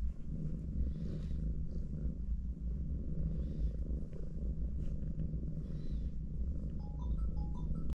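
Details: Domestic mother cat lying with four kittens in a hug, her deep continuous purr droning without a break; faint high chirping tones flicker in over the last second.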